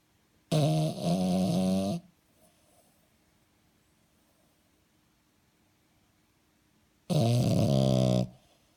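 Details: French Bulldog snoring while asleep indoors: two loud, harmonic, rumbling snores about 1.5 seconds long, roughly six seconds apart, with near silence in between.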